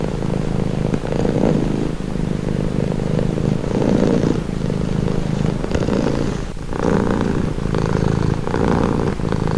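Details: A cat purrs continuously, its low rattling drone rising and falling in roughly two-second breathing cycles, recorded close with a quiet background.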